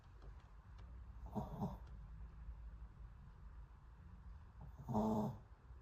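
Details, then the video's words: A sleeping dog snoring: two rasping breaths about three and a half seconds apart, each a short noisy burst with a low rumbling core, over faint steady background hum. "Dog sleeping time SNORING"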